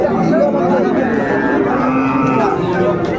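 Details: Cattle lowing at the Amburi livestock market in Dinajpur, Bangladesh, on Monday 22 April 2024, where Friesian and cross-breed bull calves are traded; a steady, drawn-out low moo runs through the whole moment over crowd chatter.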